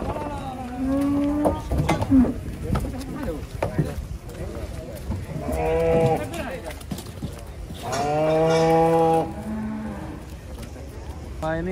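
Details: Giant cattle coming down from trucks in the rain: several deep moos, some short and some drawn out, with one loud extended bellow near the end, amid people talking and handling noise.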